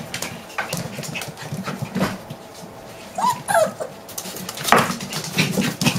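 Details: Six-week-old puppies growling in low, rumbling bursts, with a few short high-pitched yips in the middle and amid scuffling noise throughout.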